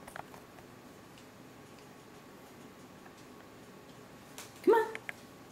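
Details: Stanley, a pet cat taken on walks in a stroller, gives one short, rising-then-falling meow near the end; the rest is a quiet, steady background with a few faint clicks.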